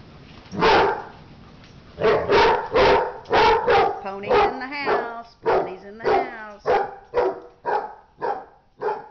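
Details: During a dog fight, a dog barks in a fast series of harsh, loud barks roughly every half second, some breaking into rough, strained snarling tones midway, continuing steadily to the end.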